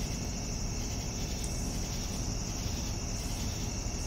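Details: Crickets in the evening give one continuous shrill ringing tone that never pauses, set against a heavy, even low-frequency rumble.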